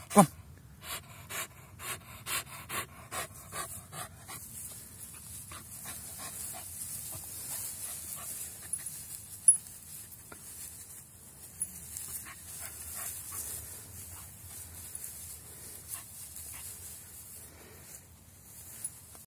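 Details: Staffordshire Bull Terrier crossed with Whippet, a dog fetching a stick outdoors, panting in quick rhythmic breaths, strongest and most regular in the first few seconds, then softer and uneven, with faint wind hiss throughout.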